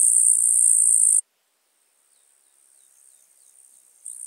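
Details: Eastern green bush-cricket singing in Marz, Austria, on 18 July 2022, recorded with an ultrasound detector: a dense, high, continuous buzzing burst that stops abruptly, falls to near silence with a faint trace, then resumes.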